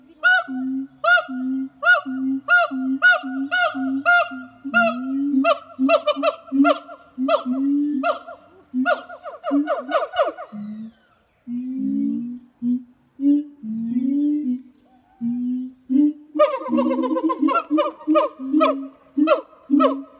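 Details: Siamang gibbons, a caged pair at a French zoo, singing on a hot summer morning in August: deep booming notes near a steady pitch alternate with loud rising barks and whoops, phrases repeating about twice a second, building toward faster calls.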